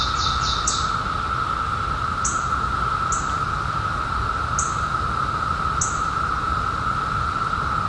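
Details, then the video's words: Periodical cicadas in 2021, just emerged after a 17-year hiding: a steady, unbroken droning chorus holding one pitch throughout, with short high bird chirps breaking in about once a second and a faint rustling background. "SOUND OF CICADAS 2021"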